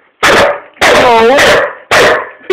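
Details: Hamish, an Old English Sheepdog, having a mad dash around the living room: three loud harsh barks, the middle one drawn out with a yowling, wavering tone, separated by short pauses; a person's voice nearby.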